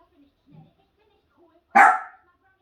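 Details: A dog gives a single loud, harsh bark after a stretch of faint, scattered low sounds, then quiet.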